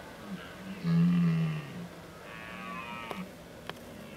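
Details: Rutting red deer in the Oostvaardersplassen, 15 October 2011: a short, loud, deep groan is followed by a longer, quieter, wavering roar, with two sharp clicks near the end.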